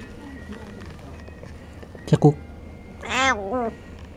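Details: Cafe cat in Sendai begging as a person offers a snack: a woman's soft speech and a brief clatter come first, then a loud wavering meow with rich harmonics near the end.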